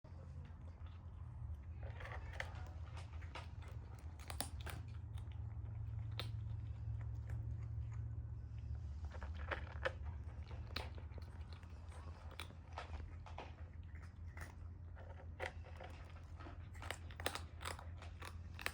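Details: Kitten eating lunch beside its adopted brother: irregular crunchy bites and wet chewing clicks, about three a second, over a faint low hum.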